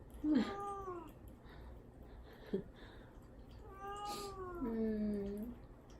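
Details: Caged cat Mame Daifuku, fasting before neutering and crying to get out while mother cat Himawari waits worriedly beside the cage: several loud, wavering meows, one ending in a long low drawn-out wail.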